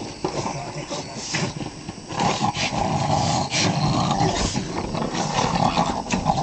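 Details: A Boston Terrier, one of three siblings play-attacking a stuffed toy lion in West Virginia, growls in rough, rumbling bursts that rise and fall without a steady beat.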